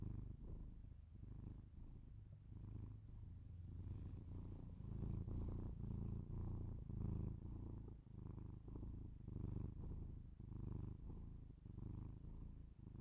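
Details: Domestic cat purring indoors, recorded binaurally close to the microphone for ASMR; a steady low rumbling purr swelling and fading with each breath, about two cycles a second, with faint soft rustling in the background.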